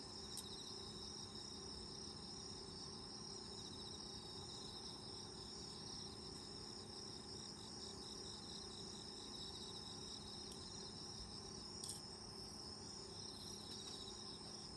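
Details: Insects heard from a camping tent open to the outdoors in autumn, rural setting: continuous high pulsing trills in several overlapping voices, steady and unbroken, over a faint low hum, with one brief knock near the end.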